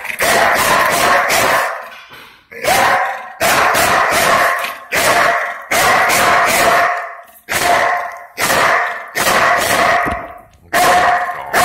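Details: Belgian Malinois police dog guarding a front door against a pretend burglar in a training simulation, giving loud bursts of deep, rapid barks in clusters separated by short pauses.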